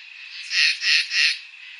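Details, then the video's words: Crickets on a summer night: three high, buzzy chirping bursts, each about a third of a second long, spaced closely together, over a faint steady high hiss. "NIGHT SOUNDS | CRICKETS"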